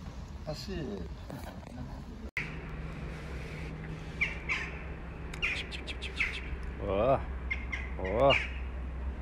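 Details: Stray kitten living on the street in Istanbul calling for its mother cat: two drawn-out, harmonic meows rise and fall near the end, after earlier speech and clicks, over a steady low traffic hum.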